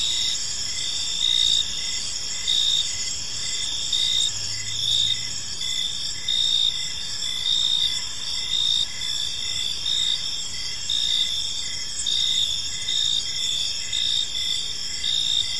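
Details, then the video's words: Gentle chorus of crickets in a park on an evening, high continuous ringing trills layered with rhythmic pulsed chirps, loudness swelling and easing in gentle waves, a brief soft low hum midway. "Cricket Sounds in a Peaceful Park"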